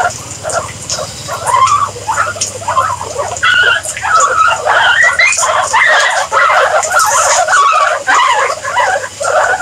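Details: Guinea pigs giving a steady run of short chirping squeaks, some sliding upward, repeated nearly twice a second over a low background hum.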